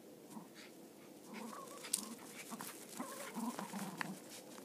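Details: Playing Cairn Terriers, a mother, her son and at times another dog, whose noisy, aggressive-sounding play brings growling and throaty noises. Low rumbling growls come in bursts through the middle and end, with clicks and rustling between.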